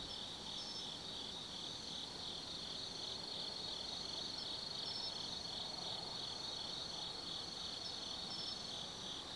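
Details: Forest insects of autumn at night, Tsukimi no Mori, Kaizu, Gifu, Japan: a bright, rapidly pulsing high trill dominates, joined by a sustained ringing tone and scattered sharper chirps above it.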